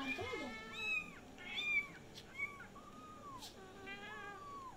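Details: Several kittens all meowing at the same time, a rapid string of high, bending mews, some harsh and strained, overlapping one another with barely a pause across a few seconds.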